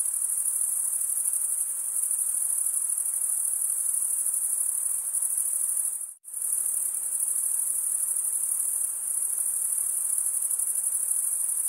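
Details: Crickets chirping, the males stridulating by rubbing one wing's toothed vein against the other: a steady, very high-pitched pulsing trill that drops to a brief silent gap near the middle, then resumes unchanged. No other sounds.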